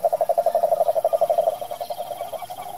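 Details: A cane toad (Rhinella marina), filmed in Curitiba, Brazil, gives a rapid train of low, pulsed notes, steady and then fading slightly.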